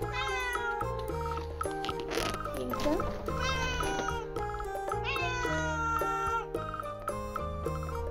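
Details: A female Russian Blue cat meows repeatedly in drawn-out, wavering cries over background music, protesting as her owners go out, usually when hungry.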